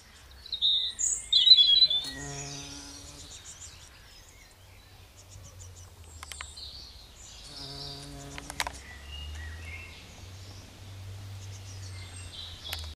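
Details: A heath bumblebee (Bombus jonellus) queen, dusted in pollen while collecting nectar from giant pink dead nettle (Lamium orvala), gives a low droning flight buzz passing by twice, with bright bird chirps in the background.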